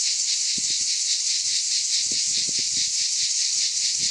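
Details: Summer chorus of cicadas in the Aude region of France, a loud, even rasping drone that pulses slightly, with soft rustles and crackles in the background.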